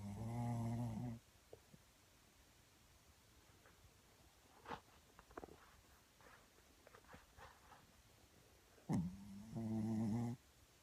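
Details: Little Shih Tzu sleeping while cuddling, giving two long, loud, rumbling snores with a nasal buzz, one at the start and one near the end, separated by faint clicks and soft rustling.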